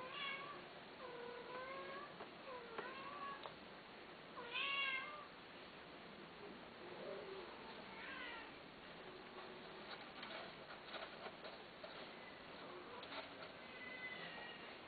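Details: Cats for sale meow in a quick series of short wavering calls early on, then a louder drawn-out meow and scattered fainter ones over steady background hiss.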